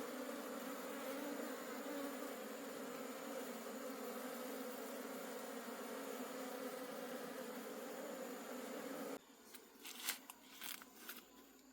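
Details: Honey bees of a wild forest colony humming as their honey is harvested. A thick, even, droning buzz for about nine seconds cuts off abruptly, followed by quieter scattered clicks and knocks.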